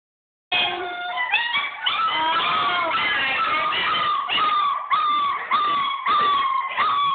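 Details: A litter of German Shepherd puppies, upset at being shut in their whelping bed while their room is cleaned. Several voices overlap in a continuous chorus of wavering, howling whines that rise and fall for about six and a half seconds, with brief breaks.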